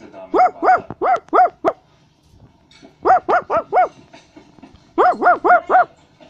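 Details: A Basset Hound gives runs of four or five clear, even barks with short pauses between runs, each bark a brief rising and falling yelp.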